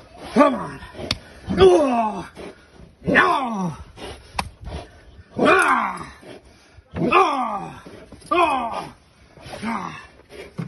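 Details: Giant Schnauzer Uran von Elberfeld during protection work with a decoy, barking hard: about seven deep, harsh barks in eleven seconds, each loud burst dropping in pitch, coming in uneven bunches with short pauses between them.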